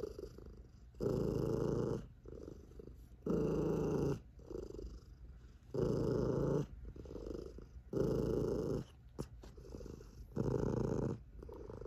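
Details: A sleepy, chubby tabby cat purrs loudly and deeply, the booming rumble swelling and easing with each slow breath.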